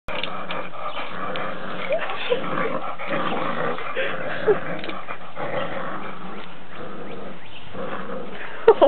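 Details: Dog named Murphy growling as Amos drags him around the backyard in play; a continuous low, rumbling growl holds for the whole stretch, with a few brief sharper bursts near the end.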